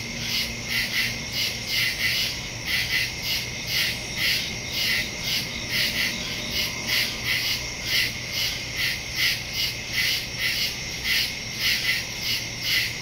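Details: Crickets in woods at night, recorded September 2, 2023 on a Samsung Galaxy S22 Ultra phone with a Shure MV88+ stereo microphone: a dense high chorus of pulsing chirps, bursts recurring about every half second over a steady shrill trill.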